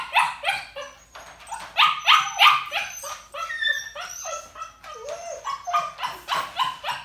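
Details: Young puppy crated indoors, whining, barking and howling while ignored, showing crate anxiety or demanding behaviour; rapid yelping barks and high rising whines repeat about three times a second, with one longer falling whine midway.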